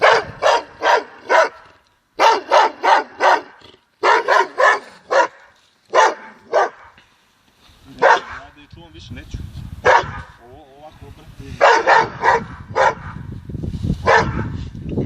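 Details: Dogo Argentino barking in rapid bursts of three to five sharp, hoarse barks separated by short pauses, some single barks between, with a low rumbling noise and scattered softer sounds in the later part.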